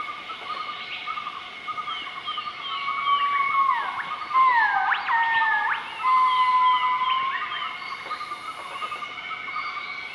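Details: Morning duet of a southern white-cheeked gibbon group, Nakai-Nam Theun National Protected Area, central-eastern Laos, 20 March 2014: long sliding whistles swooping downward, then a loud upsweep and sustained flat tone, with faint chattering notes and steady insect drone behind.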